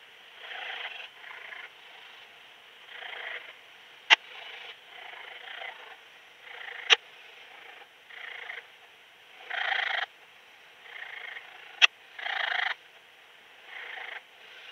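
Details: Song of Raymond's bush-cricket, Lido di Spina, Italy, 3 September 2021, through a Pettersson D 100 ultrasound detector, noise-reduced: irregular soft hissing bursts, about twenty a minute, interspersed with occasional crisp clicks.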